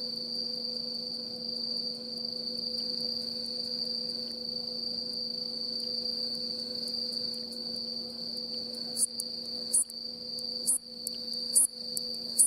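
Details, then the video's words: A male bush katydid (Hexacentrus hareyamai) with worn wings, in rural Mishima island, Hagi, Yamaguchi, Japan, on the afternoon of 9 October 2017, sings late in the season: a steady, high, shrill "sweee" buzz broken near the end by sharp ticking "chon" bursts. "［見島のいきものたち 386］鳴くハヤシノウマオイ Hexacentrus hareyamai（Ⅲ）"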